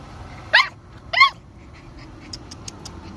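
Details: Alapaha Blue Blood Bulldog giving two short, sharp barks about half a second apart, harmonic and pitched fairly high, followed by a few faint clicks and a quiet background hum.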